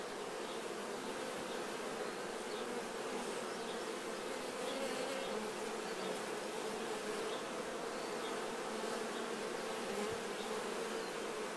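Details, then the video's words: During honey harvest, honey bees groom nectar from their bodies, producing an unbroken, even hum of many wings, with individual bees' tones sliding up and down above the steady drone. "Czyszczące się pszczoły."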